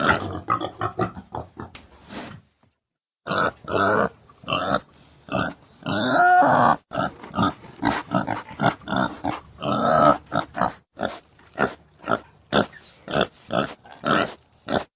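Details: Male domestic pig (boar) grunting, a deep, powerful sound used for territory or drawing females during heat; dense runs of short, harsh grunts, one pause after two seconds, then steady rhythmic grunts with a longer, squealing one mid-sequence.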